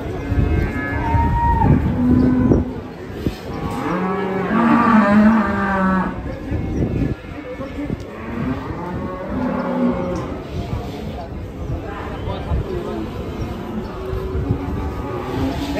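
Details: Rampaging sacrificial cattle in Indonesia, several deep drawn-out moos, one rising then falling over about two seconds, repeated amid background voices and a noisy outdoor crowd.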